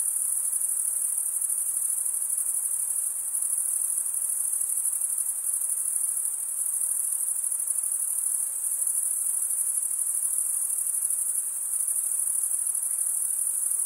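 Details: A steady cricket chorus of stridulating insects: a continuous, very high, metallic ringing trill that barely changes in loudness over the whole stretch, with only a soft background hiss beneath it.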